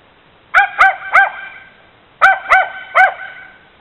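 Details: Border Terrier mix barking at a bicycle in the driveway: two bursts of three sharp, harmonic-rich barks each, the first trio in quick succession, a pause of about a second, then three more evenly spaced barks.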